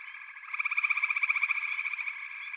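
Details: A frog chorus with one close, loud caller: a strongly pulsed trill with evenly spaced beats starts after half a second, over a steady wash of other frogs trilling.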